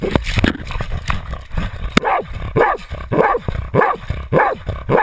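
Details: Jagdterrier Otto bays a 250 lb boar while carrying a GoPro camera; after a short stretch of rustling and a few muffled sounds, steady hoarse barks return, about two each second.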